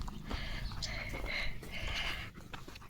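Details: Leo, a German Shepherd, on a countryside walk through green wheat fields, breathes in rough, breathy bursts of panting, with brief higher tonal streaks and wind-like rumble underneath.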